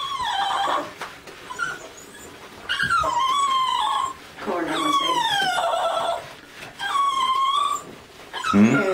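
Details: Lhasa Apso crying while being bathed: drawn-out, high whines that fall in pitch, in bursts of one to two seconds separated by short pauses, with a person's soothing talk and splashing in a small indoor room.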